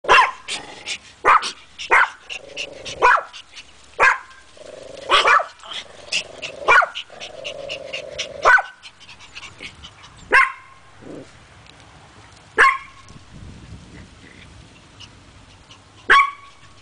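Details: Pet Chihuahuas Nando, Solo and Ynka yapping: sharp, high, clipped barks in uneven bursts, about a dozen in all, with short whiny tones between some, spacing out into sparser single yaps toward the end.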